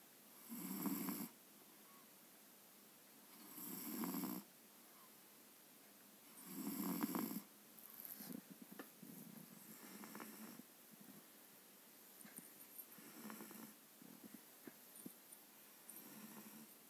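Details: Sleeping seven-month-old Maine Coon cat snoring: three loud rasping breaths in the first seven seconds, roughly every three seconds, followed by softer, quieter snores in a small indoor space.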